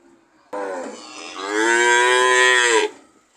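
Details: One drawn-out cow moo lasting over two seconds, starting moderately and swelling louder in the second half before a falling end.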